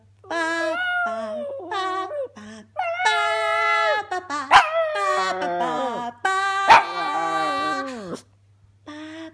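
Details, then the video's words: Female Jack Russell–pug cross pet howling together with her owner's singing: sustained, richly harmonic wavering howls that bend downward at phrase ends, broken by brief yips and pauses, with a human voice joining in. "Jack Russell Pug (jug) singing with Mama"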